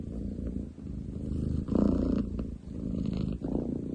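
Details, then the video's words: Ten chan, a long-legged munchkin tom cat, purring loudly, recorded 30 July 2023; a deep, rough, continuous rumble that swells and fades in breathing cycles, with a brief louder surge near the middle. "工事現場並みに喉を鳴らす猫。Cat purr like construction site!?"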